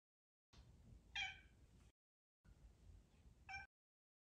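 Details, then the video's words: An indoor cat meowing to be petted gives two short, quiet meows about two seconds apart, the second fainter and sadder, over a low background hiss. "Sad meow"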